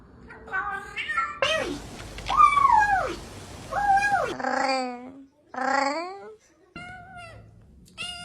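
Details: Domestic cats from a funny compilation giving a series of meows that rise sharply and then slide down, some short and some drawn out, with gaps of near silence between them.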